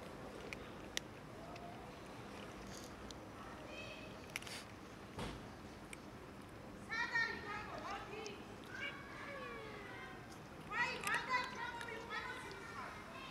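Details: Several cats and a kitten quarrelling over food during feeding, a small fight breaking out; harmonic meows and yowls rise and fall in bursts around the seventh and eleventh seconds, with human voices talking in the background throughout.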